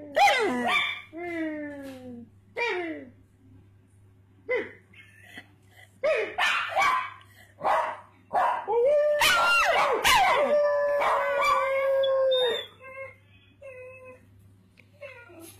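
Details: Puggly, a pet pug who joins in when people bark, gives descending yelps and sharp barks, then a sustained, level howling whine lasting about three seconds, with scattered short yips afterward.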